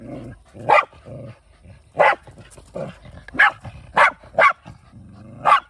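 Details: Shiba Inu Kai, a male, hunting prey in the countryside in a multi-dog household with former stray Bitchan. Six sharp, bright barks come at irregular intervals, with softer low grunting sounds in between.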